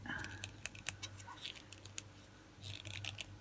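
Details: Sharp clicks and rustling of handled packaging over a steady low hum, with no animal sound.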